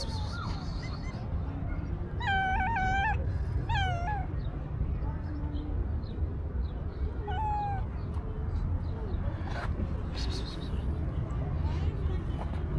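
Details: Hungry stray cat searching garbage for food gives a few loud harmonic meows with slightly falling pitch around the second to fourth seconds, then a softer one, over steady low rumbling street noise.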